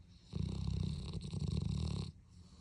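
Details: Dog snoring indoors: a single long rasping inhalation of about two seconds, low and rumbling with a buzzy vibrating texture, rising from and fading back into quiet room noise.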